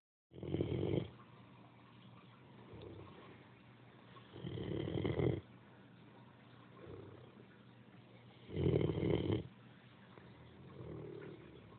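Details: Great Dane. A Great Dane snores in a slow, steady cycle. A loud, rough, rattling inhale comes about every four seconds, each followed by a softer, breathy exhale.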